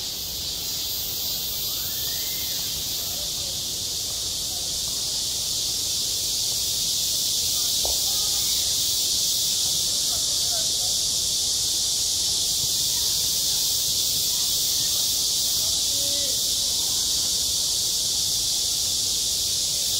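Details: Cicadas singing at a school playground in midsummer: a dense, unbroken high-pitched hiss-like drone that holds steady and swells slightly louder partway through, with faint scattered background sounds beneath.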